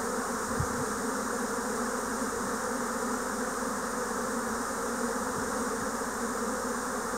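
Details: Japanese honeybees swarming in spring 2024, a dense, steady droning hum from many bees filling the air, broad and continuous with a low rumble beneath, one brief click near the start.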